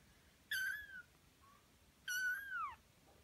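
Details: A 27-day-old Birman kitten gives two high, thin meows, each bending down in pitch, about a second and a half apart.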